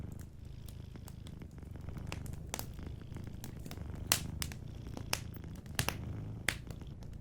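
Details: Cat asleep by a crackling fireplace, purring in a low, steady rumble while frequent sharp pops and snaps of burning wood punctuate the sound, several louder ones in the second half.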